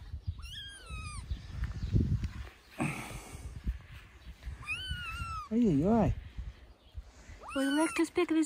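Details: Three-week-old kitten on its dad's shoulder meows repeatedly in loud rising-falling cries while a man talks and imitates it in a lower voice, with handling noise.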